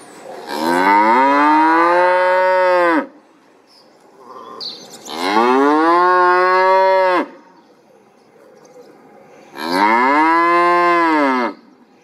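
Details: Three long, loud cow moos, each about two to three seconds, come roughly every four to five seconds. Each sweeps slightly up and then down, with quiet background noise between them.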